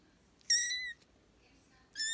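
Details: Playing British and Scottish kittens: one clear, high, thin mew of about half a second that falls slightly at the end, then a second mew starting just as the recording stops, over a quiet background.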